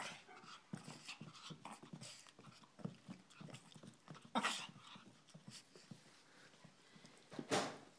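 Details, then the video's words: Peanut, a female Shih Tzu, letting her owners know what she thinks before running off indoors; short sharp barks scattered irregularly, two loud broadband yaps standing out near the middle and end, with panting-like rustles between. "Peanut the Shih Tzu barking and running"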